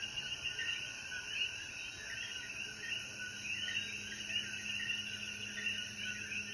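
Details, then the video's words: Coquí frogs calling in chorus after rain at sunset in the mountains of Jayuya, Puerto Rico; dense overlapping two-toned chirps form a steady wavering band, with a constant high insect hiss above. "Sonidos de Coquí"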